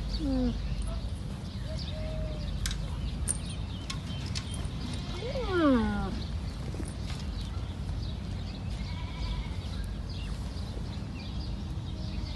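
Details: Calf of a camel giving a single sad-sounding, distinctive call, a brief downward-sliding moan with stacked harmonics, set against a constant low-frequency rumble and faint clicks.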